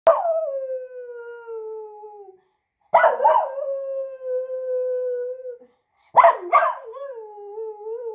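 A Cockapoo puppy gives three drawn-out howls, each starting with a yelp and sliding slowly downward.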